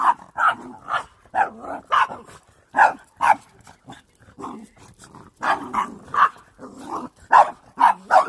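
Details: Domestic dog barking at a broom: sharp, loud barks in quick pairs and bursts, with short pauses between volleys, the sound clean and close with no other clear noises.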